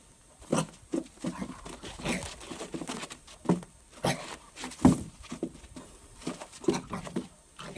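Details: Dog reacting to its reflection in a mirror indoors, giving short harsh barks and gruff huffs in irregular bursts, roughly every second or so, with brief pauses between volleys in a small room.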